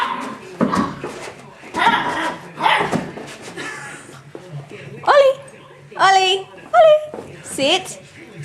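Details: A 6-week-old female Golden Retriever puppy gives a few high, squeaky yelping barks after a person talks.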